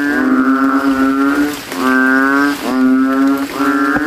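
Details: In a post-rain nighttime puddle at a cemetery, banded bullfrogs inflate their throats and call against rivals: three or four deep, drawn-out, lowing notes follow close together.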